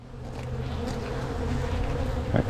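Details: Honey bees in a strong spring hive being inspected and split by a beekeeper, queen cells present; steady low droning hum with harmonic bands, a short knock near the end.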